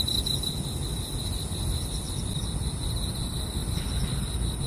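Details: Night insects singing near a car-camping site: a thin, continuous high-pitched ringing trill, fairly faint, sits above a heavy low rumbling background noise throughout.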